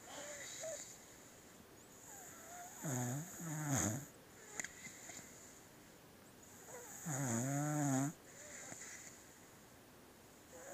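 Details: Pet beagle snoring while asleep, two long rasping snores about four seconds apart, each a low buzzing drone with a wavering nasal wheeze on top, separated by quiet breathing.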